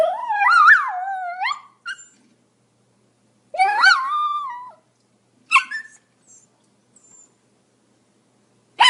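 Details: Pomeranian letting out long, wavering whines and howl-like yelps, with a couple of brief sharp yips between them.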